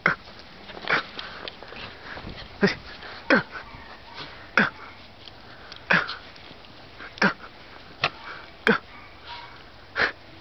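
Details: A Welsh Corgi playing in the snow, filmed 02/11/2010, makes short, breathy sniffs and snorts in an uneven series about once a second.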